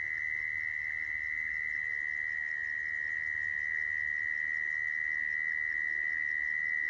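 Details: Continuous even trill of a mole cricket, the sound used to attract crickets into traps, held at a constant high pitch without pause for the whole stretch, with faint low background hum.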